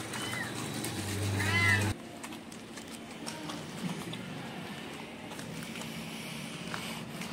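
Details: An adopted street cat, a mother angry with her kittens while they drink cow's milk, lets out one loud, wavering meow rising and falling over a steady hum, followed by quieter background rustling and faint distant voices.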